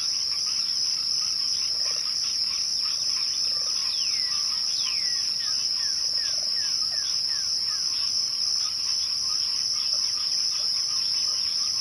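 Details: A dense cricket chorus at twilight: one continuous high shrill tone dominates, with soft pulsing chirps below and a pair of descending whistles followed by a run of short falling notes.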